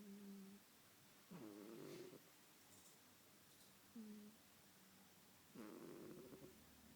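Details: Pet cat sleeping and snoring: soft, low rasping breaths recurring every few seconds, each with a faint tonal wheeze, in a quiet room.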